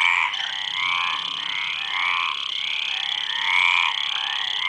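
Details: Many frogs croak at once, their trilled, slightly rising notes merging into a continuous wavering chorus over a constant shrill background tone.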